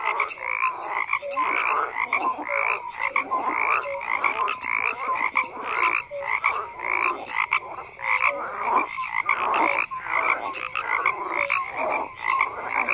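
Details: A crowded frog chorus croaks without pause, harsh pulsed calls stacking over one another, a constant high buzzing layer and short tonal chirps repeating about once a second among them.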